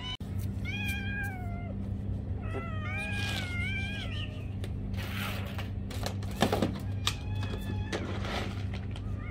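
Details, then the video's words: Cat asking for food with a series of short, tonal meows that rise then fall, several in quick succession, mixed with clicks, rustling and handling noises over a constant low background hum. "Cat Meowing for Food...(meow meow)"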